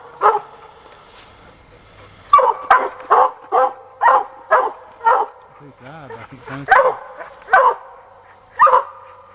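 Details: Young Black and Tan coonhound Sadie barking while hunting a coon, separate loud barks spaced about half a second to a second apart, a short burst of human speech in the middle.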